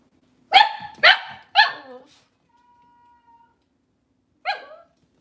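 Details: Cavalier King Charles Spaniel, indoors in a kitchen where mothers and puppies are kept, on a cloudy Monday morning. Three sharp, ringing barks come in quick succession, then a pause and a faint steady tone, then one final bark.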